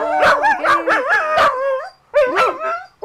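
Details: Corgi named Cassidy howling along as her owner sings "Take Me Out To The Ball Game", praised as a good girl afterward; wavering, yodel-like tonal howls with rising and falling pitch, broken by a short pause before a final yelp.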